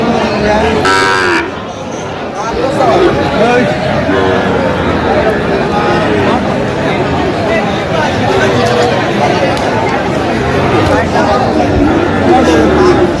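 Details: Sahiwal bull calves at a cattle market on 29 October 2025, lowing with rough, drawn-out moos amid constant crowd chatter and human voices.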